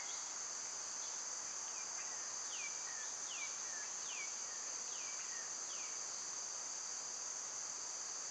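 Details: High, constant cicada drone in summer, overlaid by a bird repeating a short downward-sliding whistle about once a second.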